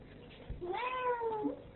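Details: Female Ragdoll cat indoors, protesting as her owner prepares to leave; one long drawn-out meow that rises and then slowly falls, with the owner's voice before and after.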